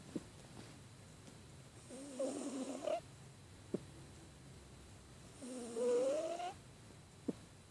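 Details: Sleeping house cat suffering from a cold, snoring in two drawn-out breaths roughly three and a half seconds apart, each hoarse and congested with a rising whistled tone, plus a few faint soft clicks in the quiet gaps.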